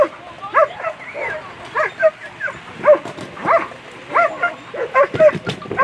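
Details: German Shepherd, Rocarzja Puma, at a World Championship agility competition, barking loudly and excitedly in quick, uneven bursts, about seven sharp barks over six seconds, with faint crowd noise behind.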